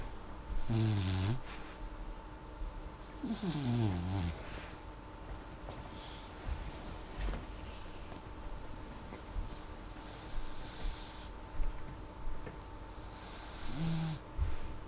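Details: Molly the dog asleep, gentle snoring breaths mixed with short falling whimpering tones, a few soft clicks and shifts, and a steady background hum.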